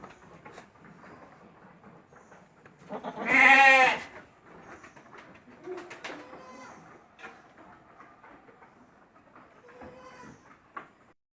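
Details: Goat at a farm on March 28, 2025: one strong, harsh, quavering bleat about a second long, then quieter background rustling with faint distant bleats.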